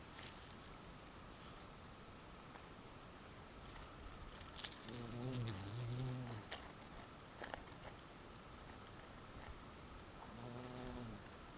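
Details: Bumblebee recorded at Sant Llorenç de Morunys on 17 July 2020. A low, humming buzz rises and fades as it passes, first around five to six and a half seconds and again briefly near the end, over a steady background hiss with scattered clicks.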